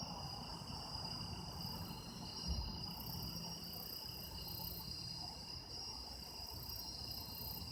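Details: Autumn insects calling on an autumn night: a steady, continuous high trilling chorus in several layers, with faint pulsing at the very top and a soft low rumble underneath.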